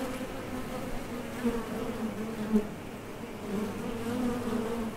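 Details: Honey bees buzzing at the entrance of a top bar hive as foragers leave and land, a steady low drone with a second band above it and soft swells as single bees pass close.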